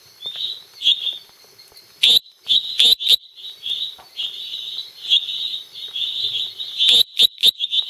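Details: Small male tree frog of the Dendropsophus minutus species complex calling at night at Los Lagos, Beni department, Bolivia; high, fairly steady buzzy tone with short repeated notes, broken by several sharp loud clicking bursts near two, three and seven seconds.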